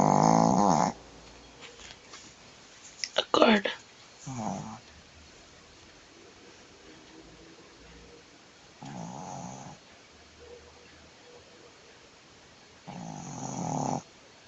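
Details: Jade, a female Shih Tzu lying on her back, snores loudly and often. Several rasping, buzzing snores come roughly four seconds apart, with a brief burst of human speech between them in a quiet indoor room.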